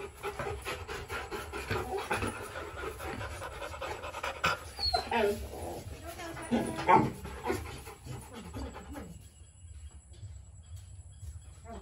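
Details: Two Rottweiler puppies in a kennel pant in quick, breathy bursts, with human voices talking nearby.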